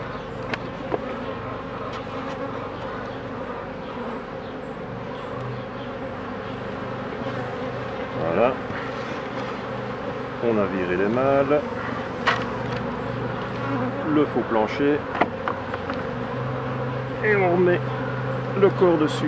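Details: Honey bees at hives being worked by a beekeeper, in an episode on a drone-laying colony, shaking bees and queen introduction: a steady, low, even hum with stacked tones throughout, and a man's voice breaking in intermittently over the second half.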